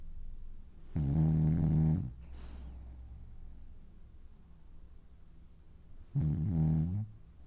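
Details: A dreaming French Bulldog snores in two deep, rasping bursts about five seconds apart, each roughly a second long, with quiet breathing between them in a calm indoor setting.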